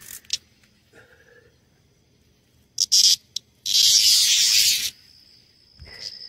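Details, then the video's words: Annual green dog-day cicada in summer in Maryland giving short high buzzes, then a loud, harsh, hissing buzz lasting about a second, with a thin tone lingering after it. "Green Dog Days Cicada annual"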